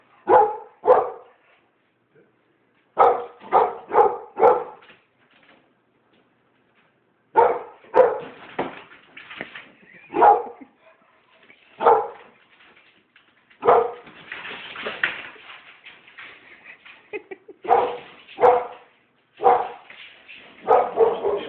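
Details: Pit bull frightened by balloons, barking in short clusters of two to four sharp, harsh barks separated by pauses, with a few longer whining, rough bursts, and a man's voice speaking to the dog.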